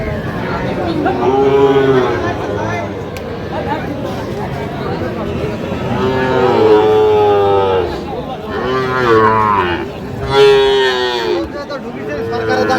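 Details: Sahiwal bull cattle at Kushtia, 5 August 2025, where a farmer buys a bull; three long, deep, harmonic moos, each stretching over a second or more, with men's voices chattering in between.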